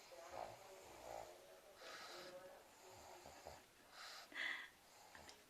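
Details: Pug snoring while asleep: breathy, noisy snorts in rough bursts about every two seconds, ending in a brief wheezy whistle, with faint voice-like sounds underneath.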